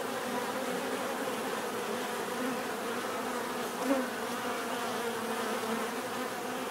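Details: Bees buzzing in nature, a constant layered drone of many wings, with one insect passing close just before four seconds and briefly swelling louder.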